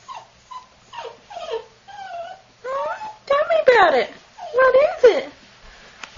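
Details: Black-and-tan longhaired female Dachshund puppy, AKC registered, giving rising and falling whiny yodels in quick succession. The notes grow louder and more strained toward the end, while a person coaxes her to talk.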